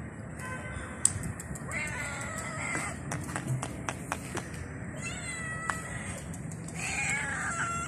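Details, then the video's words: Stray cat in the street meowing at a person, giving several insistent, slightly rising meows with strong harmonics, interspersed with tapping clicks against low background hum. "Stray Cat Meowing At Me"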